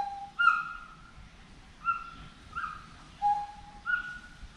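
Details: Forest monkey calling: clear whistled notes, some held level and some sliding up or down, come in short spaced bursts about every second, with faint low background rumble.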